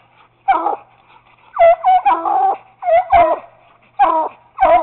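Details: Chop barks from a Treeing Walker Coonhound pup treeing on a caged raccoon, a Bluetick named Bobbi joining: loud, clipped barks, some paired closely together, roughly two each second, at close range.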